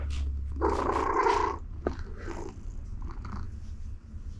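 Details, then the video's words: Cat Siberia, content under a gentle pet on her donut-patterned mat, gives a low continuous purr, with a louder breathy rustle early on and faint handling sounds. "The Purring Machine Has Just Started!"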